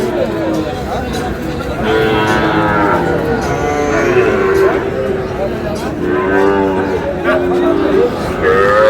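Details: Sahiwal-breed bull calves for sale at a crowded livestock market in Parbatipur upazila, Dinajpur district, 8 May 2026. Several drawn-out, wavering moos overlap one another, with voices and chatter of buyers throughout.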